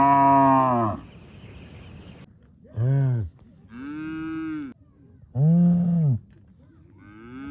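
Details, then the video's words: Village farm cow mooing loudly, a series of deep, drawn-out moos, some short and some lasting over a second, with pauses between them. "cow loud noise"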